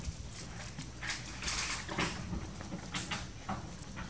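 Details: Hungry baby monkey named Anissa in Cambodia, crying and begging its mother for milk: a series of short, harsh, shrill bursts, several close together and then spaced out, over a steady low rumble.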